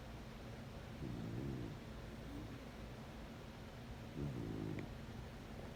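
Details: A sleeping corgi snoring: two slow, rasping breaths about three seconds apart, each a low, harmonic rumble lasting under a second, with a soft steady hum underneath.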